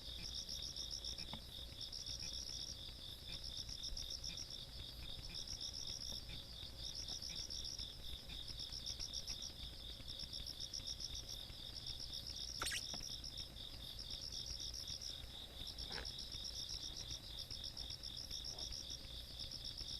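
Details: Country-night insect chorus in Korea on 17 August 2022: overlapping rapid chirp trains and an unbroken high trill, a sharp click around the middle and a few faint knocks, low hum throughout.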